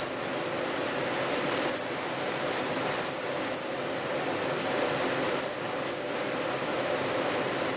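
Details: Japanese pine cricket in city shrubbery, heard in September: bright ringing chirps grouped in quick pairs and triplets, each group separated by roughly a second or more, against low background noise.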